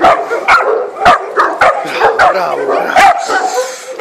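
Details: Three-month-old puppy Thor alongside a Maremma sheepdog. Sharp, uneven barks and yaps come close together over growly undertones, with a short low sweep near the middle.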